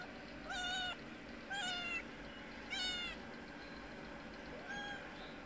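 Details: Mother cat of a kitten begging for food; four clear meows about a second apart, each a short harmonic call with a slight rise and fall, the last one softer, over faint hum.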